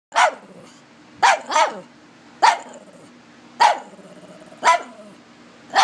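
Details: Pet pug barking at a new toy raccoon it is afraid of: sharp, short barks roughly once a second, some coming as quick doubles, with a faint low growl between them in a quiet room.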